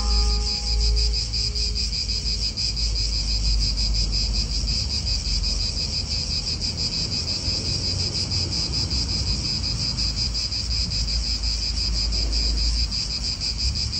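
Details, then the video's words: Loud, continuous rasping drone of cicadas in an Italian park, pulsing quickly and evenly throughout; a brief tonal sound fades at the start while wind and nearby cars rumble low underneath. "italian park ASMR Cicadas wind real atmosphere in an Italian park birds"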